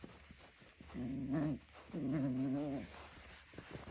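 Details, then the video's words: Junior, a teething three-month-old Jack Russell Terrier, playing tug of war with socks, gives two sustained low growls of under a second each, wavering slightly in pitch. "Jack russell 3 month old playing with shocks tug war"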